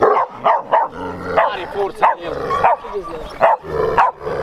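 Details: Large Bucovina Shepherd Dog with a powerful temperament, recorded in 2021, giving a run of deep, hoarse barks roughly every half second, with short gaps and a faint human voice mixed in.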